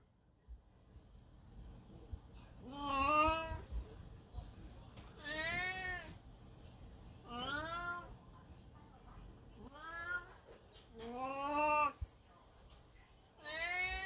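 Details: Elderly black cat Beni, in heat at home with a golden retriever watching, gives five long, drawn-out wailing meows, each rising then falling, spaced about two seconds apart with quiet gaps between.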